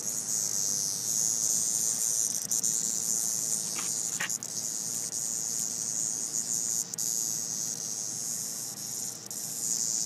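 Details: Cicada found at a park, giving a continuous, shrill, high-pitched buzzing drone that holds steady for ten seconds, with only small dips and a couple of brief clicks.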